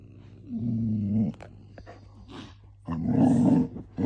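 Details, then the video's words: Golden Retriever puppy growling while wanting to play with a grumpy cat sister indoors; two sustained low rumbling growls, the first about a second long, the second longer and rougher, with faint rustling between. "Golden retriever puppy wants to play with grumpy cat sister"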